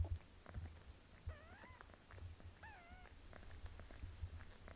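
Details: Pinky the kitten being bathed by her mother cat Melania: two clear, thin mews a second apart, each wavering and dipping slightly, heard above a low purring rumble and soft licks.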